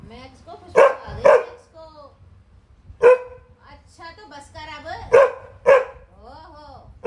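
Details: Labrador dog at home in Delhi, playing with a family member, gives loud, sharp barks, mostly in pairs, six in about seven seconds, with a woman talking to it in Hindi between the barks.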